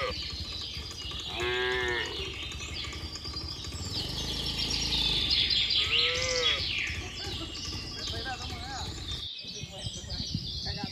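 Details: Tame herd of cattle and calves hurrying back to their barn during the rainy season, giving two drawn-out harmonic moos a few seconds apart over constant bird chirping and rural background noise.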